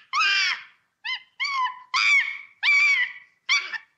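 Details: A monkey in a forest gives a run of clear, wavering, nasal calls, several short cries in quick succession.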